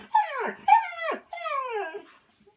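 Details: Siberian Husky voicing three loud, harmonic howl-like cries, each sliding downward in pitch, the last one long and wavering before fading out.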